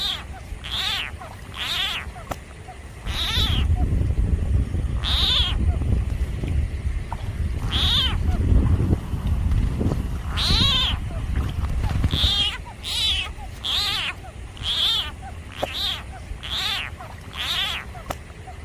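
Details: Frog confronted by a snake, uttering repeated harsh, wailing cries that fall in pitch, many in quick irregular succession, over a loud low rumbling background noise.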